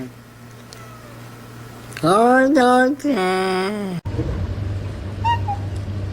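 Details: Domestic cat giving two long harmonic meows of steady, slightly wavering pitch in the middle of the clip, after a low hum; people talking and background noise follow.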